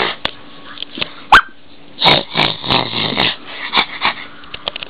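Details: Bo, an eight-week-old female blue and white whippet puppy, indoors: a sharp high squeak early, then a run of rough, growly bark bursts, each a fraction of a second, over about a second and a half.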